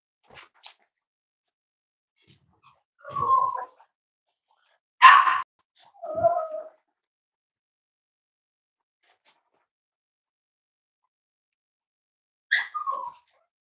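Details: Cavalier King Charles Spaniel kept indoors at Red Barn Cavaliers, where moms, dads and five-week-old puppies are shown; a few short, scattered whiny yips and whimpers separated by long quiet gaps, with a thin high squeak.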